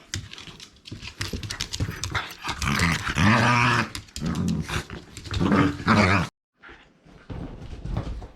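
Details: Shiba Inu Rin, a dog with a small mouth who attacks the ball rather than carrying it, growls during indoor ball play: deep rumbling growls swell in two loud bouts amid scuffling and clatter, then a short quiet stretch.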